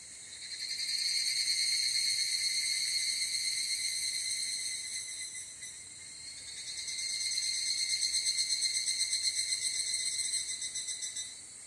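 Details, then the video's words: Higurashi evening cicada calling in Japan at evening, captured with a ZOOM F8n Pro recorder; a ringing, quickly throbbing trill that grows loud, fades around the middle, then builds again and continues. "HIGURASHI, EVENING CICADA IN JAPAN /フィールドレコーディング ヒグラシ 鳴き声"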